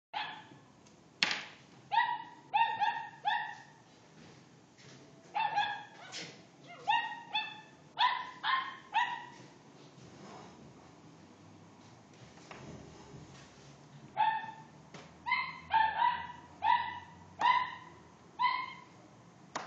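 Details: Dog barking at a cat that is teasing it: high, sharp barks in quick clusters of two to four, a quieter stretch in the middle, then another rapid run of yappy barks. Indoor quiet background.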